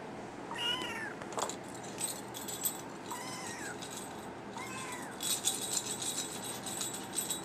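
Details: Brown tabby and white male kitten meowing three times, short bent high cries, with rattling and clinking sounds in the later part.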